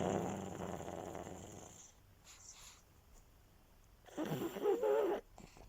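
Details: Sleeping pug resting indoors: a rattling snore fades over two seconds, a quiet gap follows, then a second harsh, wheezing snore of about one second.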